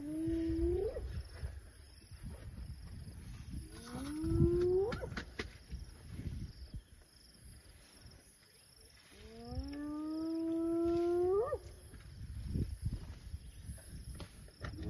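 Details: Hyenas calling near elephants in the wild: three drawn-out rising whoops, each swooping upward at the end, with low rumbling and rustling noise between them and a steady high hiss throughout.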